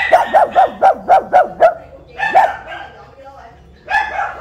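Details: Caged pug, recently given as a pet and penned by the front door of a house, barks while being teased: a rapid run of seven quick, even yaps, a pause, then two more louder barks.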